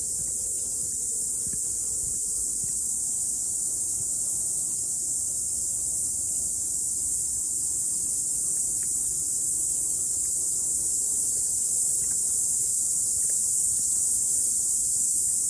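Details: After rain, on a morning climb up the mountain, cicadas keep up a constant piercing high drone, steady and unvarying, with faint rustles and occasional dull taps in the background.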